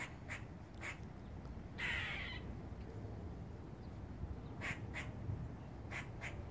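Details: Squirrel on a rooftop sounding a warning: paired sharp chucks, then a half-second raspy squeal, then more chucks in twos, over a steady quiet background hiss.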